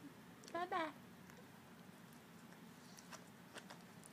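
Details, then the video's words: Miniature dachshund puppies indoors, three of them learning to bark and growl; a single high, squeaky yelp with a falling pitch sounds briefly near the start, then quiet room tone with faint soft taps. "Mini Dachshund Puppies Trying To Bark - Mini Dachshund Barking - Dachshund Dog Barking puppy"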